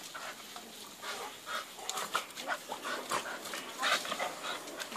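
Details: Bulldog breathing noisily indoors, with short breathy snuffling bursts repeated irregularly over five seconds and a few faint tonal squeaks between them.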